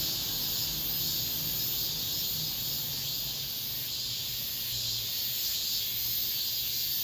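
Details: Late-summer cicadas in an apartment complex, the final ones of the year, keep up a continuous hissing high drone, while a low mechanical hum comes and goes underneath.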